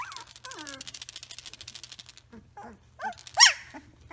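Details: Three-week-old Samoyed pups: falling whines over a rapid buzzy pulsing sound lasting about two seconds, then short whimpers and one sharp, louder yelp near the end.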